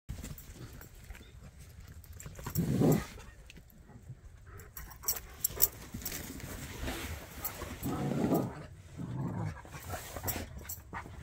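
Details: A Jack Russell and a Bernese dog at play: rough, low growls in short bursts near three seconds and again around eight to nine seconds, over soft outdoor rustling.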